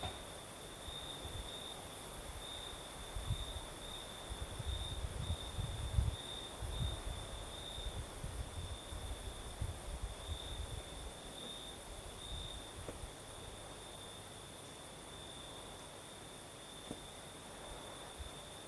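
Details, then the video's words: Southern Crimea at night, crickets singing in a night breeze: a sustained high trill, slightly pulsing, while wind buffets produce low thumps during the first half. "Звук ночи. Юг. Крым. Сверчки поют. Ночной бриз."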